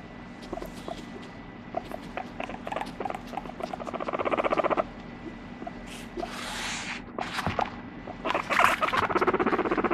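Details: Pet guinea pig Moru-chan produces a brief run of quick pulsed squeaks that build in loudness, followed by hissing rustles and bursts of broadband scraping noise, with clicks throughout.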